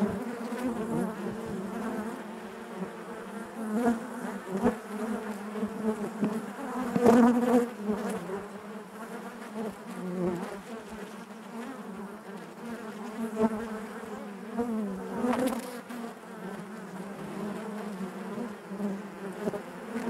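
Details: Steady drone of a honey bee colony inside the hive, low and even, carrying a clear overtone above it, with a brief brighter, louder whine about a third of the way through and occasional soft taps.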